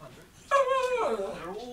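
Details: A pet Shih Tzu talking to a parrot at home: a sudden high, tonal whining cry that holds steady, then bends downward into a lower wavering moan, with a person speaking.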